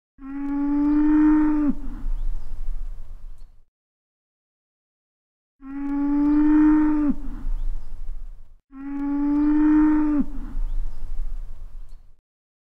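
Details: Horned cattle bellowing in the countryside after calling through half the night and into the morning, possibly because another cow lay strangely apart from the pasture. Three long, deep, droning bellows, each about three seconds, separated by short silences.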